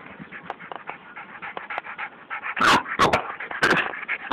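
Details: Bulldog attacking a snake: soft panting and rustling sounds, then three loud, harsh barks bursting out in the final two seconds.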